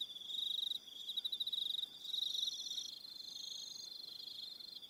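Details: Crickets calling in the evening on Aroha Island, New Zealand, many insects trilling together; a continuous high buzzing pulse train with fainter, higher-pitched trills switching on and off.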